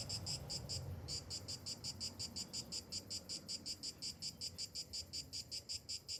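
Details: A summer morning cicada gives a pulsed, high, rasping buzz in quick regular bursts, nearly three a second, after a brief pause near the first second, over a murmur of low background noise.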